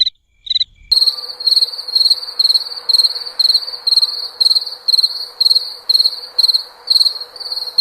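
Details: After two brief opening chirps, a cricket keeps up steady trilled bursts about twice a second, regular and unbroken, over a low background hum.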